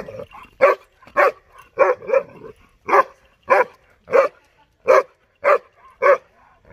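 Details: Sharp single barks from a 6.5-month-old German Shepherd puppy named Dollar reacting to buffaloes. About eleven barks fall at a steady clip, one roughly every half second, with short quiet gaps between.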